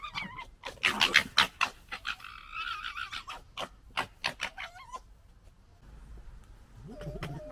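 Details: Foxes fight and sort out a pecking order in 2021, gekkering loudly. Harsh, rapid stuttering chatter and clicking pulses mix with high wavering squeals and a rising whine, then a low rough growl at the end.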